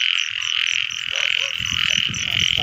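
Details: Frogs in the rainy season, recorded on a frog-catching outing: a loud continuous chorus with a bright buzzing band and fast repeating high pulses, over faint low rustling and handling noise.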